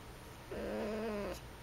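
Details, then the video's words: A she-cat climbed into a storage closet, complaining as the light disturbs her wish for a dark nap: one lower, flat, moaning meow lasting almost a second, steady and slightly wavering, indoors in a small quiet room. "Cat says she wants dark nap"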